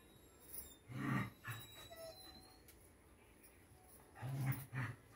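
A Rottweiler puppy gives short, low, grunting yelps in two pairs, with quiet gaps between.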